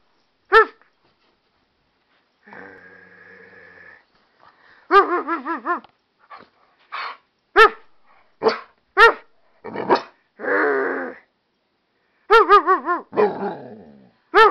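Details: Wolf, an American Staffordshire Terrier and pit bull mix, barks back at its owner in bursts of wavering, yodel-like yowls and short sharp barks, with a few flat, steady tones between them.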